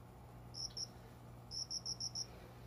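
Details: A cricket, possibly a bell cricket, sings short, clear, high chirps in quick bursts over a faint low hum, around five in the morning among window-side plants indoors in summer, calling until dawn.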